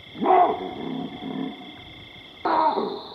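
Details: Baboons in the African bushveld giving two rough barking calls, the second about two seconds after the first, over a steady high hum.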